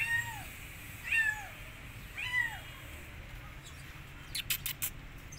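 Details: Three loud, arching meows from rescued kittens frightened of a giant rabbit, spaced roughly a second apart, followed by a burst of sharp tapping clicks.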